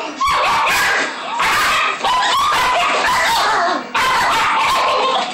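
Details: Two-month-old Siberian Husky puppy scuffling with a Chihuahua and a Shih Tzu of about a year and a half over a dog cage: dense bursts of high, yelping barks and snarly yips, loud and nearly continuous.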